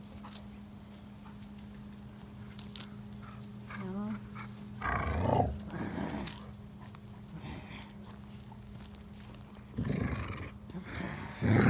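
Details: English Springer Spaniel chewing on a stick during tug-of-war play, giving low rough rumbling growls in bursts around the middle and end, with a brief whiny rising note before them, over a steady electrical hum.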